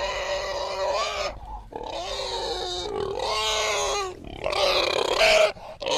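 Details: A wild boar under attack by a leopard screams in loud, harsh squeals, each burst lasting about a second with brief gaps between.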